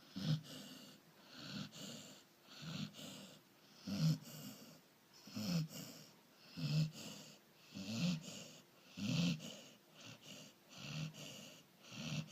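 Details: Labrador Retriever asleep and snoring steadily, deep raspy wheezes with a throaty low rumble, rising and falling roughly once every second or so.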